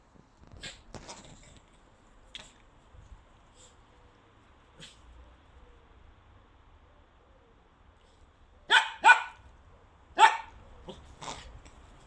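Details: German Pinscher barking in short sharp bursts, a few soft barks early on, then a loud cluster of three or four barks near the end, with quiet pauses between.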